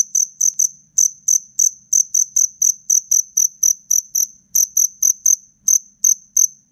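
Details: Black cricket singing fiercely during a fight: sharp, high pulsed chirps in quick bursts of two to three, separated by short gaps, with a faint low hum underneath.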